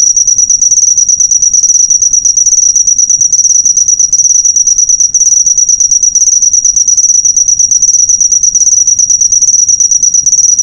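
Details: Cricket used as a master recording for training cage birds: a steady, high, rapid pulsed chirping trill continuing without pause, with faint low rumble beneath.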